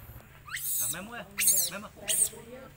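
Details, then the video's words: Hungry baby monkey Leo, or Rainbow, pleading with its mother for milk and being rejected. Three sharp bursts of shrill screaming are interleaved with wavering, lower arched cries. "Very Pity Rainbow Beg Milk Mom But Mom Rejected Hardly"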